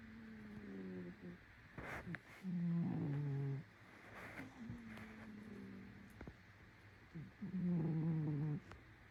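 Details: Snoring cat giving a series of breaths: low, tonal, nasal drones, each about a second long, with the loudest near the middle and the end. Small clicks and rustles occur between breaths.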